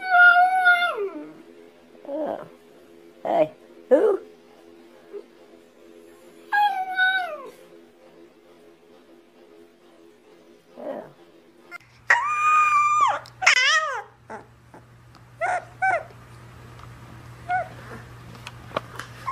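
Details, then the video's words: Puppies crying in a compilation, with short falling whines and yelps scattered through the recording between quiet gaps, plus a steady low hum in the background. "Crying or Howling??? - CUTE puppies"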